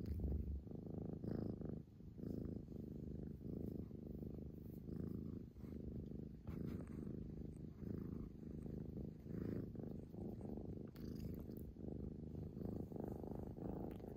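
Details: Purring Scottish Fold, the female Hotate, recorded on 11 February 2021. A deep, continuous vibrating rumble rises and falls with breathing over fourteen seconds, with faint background noise.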